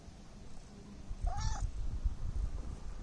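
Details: Domestic cat giving a single short, arched meow in the middle, rising then falling in pitch, with soft low rumbling and thumping noise around it.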